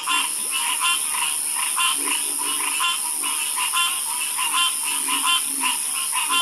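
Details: Frogs croaking in a calming night chorus, dense overlapping pulsed croaks in quick repeated bursts, with a steady high insect-like hiss running underneath throughout.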